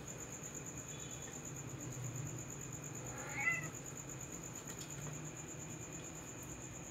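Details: A brown cat, one of several brown cats and kittens, gives a single short rising meow near the middle, set against a steady high electrical whine and a hissy, insect-like background.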